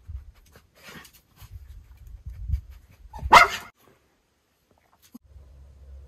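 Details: Miniature Schnauzer puppy brothers in Aroostook County, Maine, on May 2, 2022, checking out a new doorway that will open onto the front yard. Low rumbling handling noise, then a single loud, abrupt bark midway, followed by quiet.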